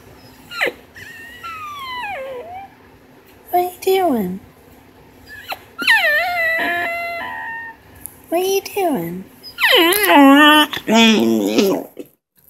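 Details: American Bully puppy, a young female, indoors making long drawn-out whining and howling noises that slide up and down in pitch, growing louder toward the end, while a woman talks to her and repeatedly calls her.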